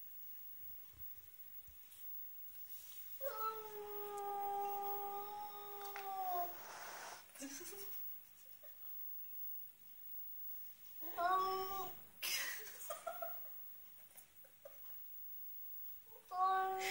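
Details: Ruby, a pet cat indoors, wails in long drawn-out tonal cries lasting about three seconds, followed by shorter wavering wails and clicks after long pauses, with a low steady hum underneath.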